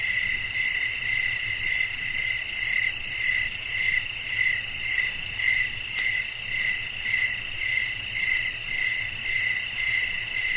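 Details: Crickets chirping at night amid blowing wind, a nature ambience for relaxation and sleep: dense, high, shimmering trills in stacked bands with a pulsing beat about once a second over a faint low rumble.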